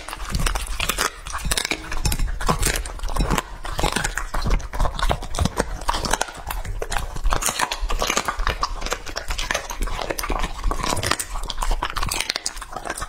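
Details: Raw meat meal for Lucky, a two-and-a-half-year-old English-line Labrador Retriever: a long, steady run of sharp crunches and wet smacks, many bites per second, with a dull rumble underneath.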